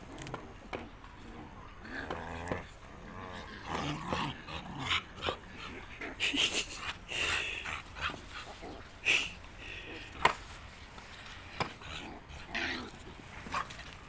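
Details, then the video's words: A puppy gives a string of short, sharp barks and yelps scattered across the recording, mixed with human voices and handling noises close by. "Dog 🐶 puppy-cute Barking nidiyan dog 🐕"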